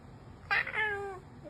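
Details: Pet cat giving a single clear meow, a bright harmonic cry that slides steadily downward over about half a second, with a quiet room hum and faint human voice behind it.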